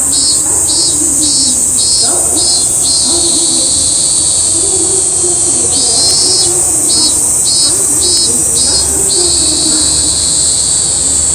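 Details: Robust cicada recorded in Toyama city, Japan, singing bursts of buzzy, high pulses repeated roughly twice a second, with a pause mid-phrase, over a steady, shrill, continuous high drone.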